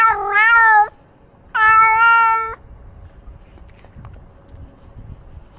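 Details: Two strong, long meows from Ros the pet cat, filmed by a camera he wears, each lasting about a second with a short gap between. Only faint background rustle follows.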